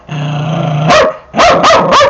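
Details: An aggressive 8-year-old Dachshund with a bite history, during training: a steady low growl runs for almost a second, breaks into a sharp bark, then after a short pause three more loud barks follow in quick succession.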